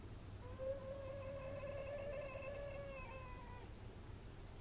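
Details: Cat in a front-yard fight giving one drawn-out, moaning yowl of about three seconds, steady in pitch with rich harmonics, swelling slightly then fading, against a constant high electronic whine and low rumble.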